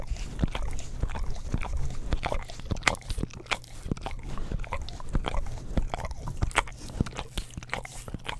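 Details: Dense, continuous licking from a pet English Cream Golden Retriever on an Orapup tongue-cleaning brush, captured with a stereo microphone: rapid moist clicks and smacking slurps with a faint steady hum underneath.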